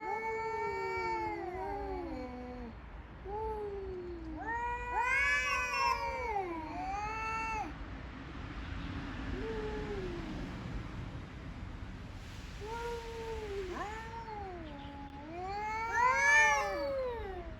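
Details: Male community cats in Okinawa, Japan, fighting over territory in the morning; long wailing, rising-and-falling yowls traded back and forth, some overlapping, over a steady background hiss.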